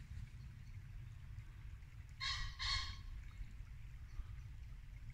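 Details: Muntjac deer barking at dusk in Norfolk woodland in late winter: two short, harsh barks in quick succession midway, over the steady low rush of a babbling brook.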